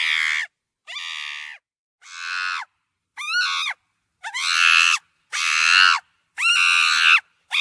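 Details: Monkey giving seven harsh, strained screams, each about half a second to a second long, separated by short silent gaps; some calls start with a quick rising sweep and the later ones grow louder and rougher.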